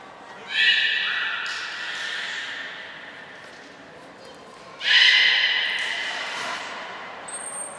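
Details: Beluga whales Hodoi, Gray, Nana and Niko during training at Port of Nagoya Public Aquarium, 5 June 2021; two loud squealing calls with stacked harmonics, one near the start and another about four seconds later, each tailing off over a few seconds above steady background noise.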